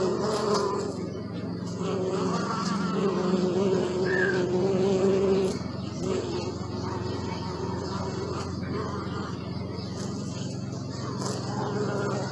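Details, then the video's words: Bees buzzing, captured with a Sony Alpha 6000: a dense, continuous hum of layered wingbeat tones. It is loudest in the first five seconds and then settles into a steady drone, with brief ticks and a faint chirp above. "Bee sound"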